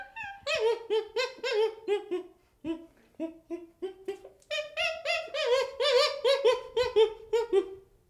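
A young chimpanzee calls in a rapid series of short, voiced whimpers, each rich and slightly wavering in pitch. The notes come in uneven bursts with brief pauses, rising in intensity toward the end.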